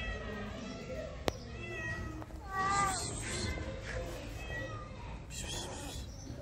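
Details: Stray cat in heat in Morocco, aroused and meowing: a few drawn-out harmonic meows rising and falling in the middle of the passage, with background noise and faint music underneath.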